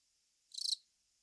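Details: A single brief scratchy chirp from a Velarifictous aspersus cricket, a rapid burst of high, rasping pulses lasting about a quarter second, surrounded by near silence.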